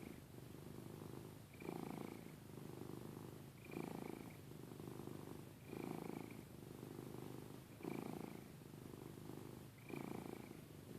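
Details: Snoring cat named Giada: steady, low, rumbling breaths roughly every two seconds, each inhale topped by a thin nasal whistle, quiet and even throughout.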